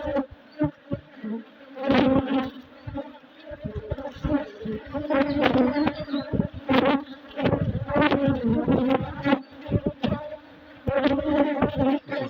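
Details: Honey bees building comb, heard during a hive inspection: a steady low drone of massed buzzing with a higher overtone, broken by loud clicks and knocks from handling of the hive frames.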